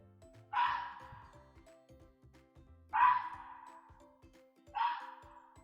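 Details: Fox giving three sharp, harsh single barks roughly two seconds apart, each a short hoarse yap fading quickly, with quiet music in the background.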